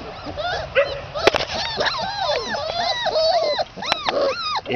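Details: Red Standard Poodle puppies, three and a half weeks old, outside, producing a busy chorus of overlapping high whines, yelps and squeaky rising-falling cries, several pups calling at once, with brief clicks.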